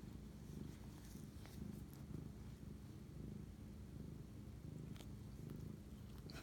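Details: Pet cat purring at night, 11:07 pm on March 25, 2019, during a bonding moment with its owner; continuous deep, even rumble with gentle rhythmic swells and a few soft ticks and rustles.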